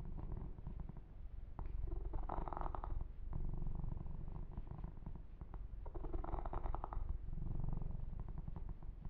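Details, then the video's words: Massaged kitten named Yumak purring steadily, a rapid low vibration, punctuated by bursts of rubbing and grooming noise about every few seconds. "Kitten Massage - Perfect Sleep Helper Ear to Ear Purring"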